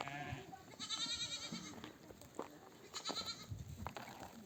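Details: Mother sheep returning from grazing with a nomadic flock call their lambs to nurse: two distant, faint wavering bleats, rather thin and high, over quiet background shuffling.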